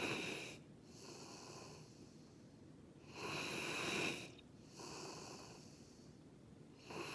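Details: Jiji, a male rescue Labrador-Schnauzer mix, snoring like Darth Vader indoors: loud hissing, wheezy breaths with bright high tones, each drawn-out rasp lasting about a second and recurring roughly every three and a half seconds, with quieter breathing between.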